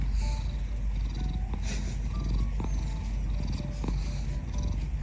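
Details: A ginger domestic cat basking in bright sunshine purrs steadily, a dense, continuous low rumble with no breaks, while faint music and soft tones play in the background.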